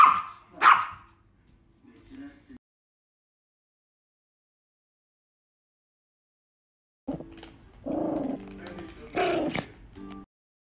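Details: Pomeranian named Romeo, a pet dog, gives two sharp barks at the start, then after a silent gap a run of mixed yelps and barks with background voices and music.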